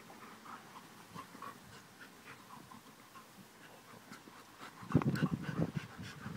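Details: A Labrador Retriever waits for Santa, panting softly and steadily with faint nasal whines, then breaking into a louder burst of rapid huffing breaths and whimpers toward the end.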